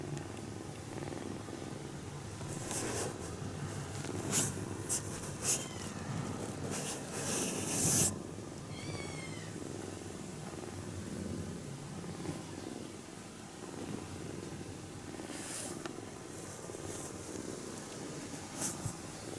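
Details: Kitten napping while being touched gently; a soft low purr continues under bursts of rustling from handling, and a few short, high chirping sounds are heard around the middle.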